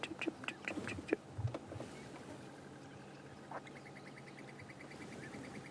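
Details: At a dam during a cloudy sunrise safari drive, a squirrel gives a fast, steady run of high alarm chips at a Wahlberg's eagle perched on a dead tree. A few louder knocks and voices come first.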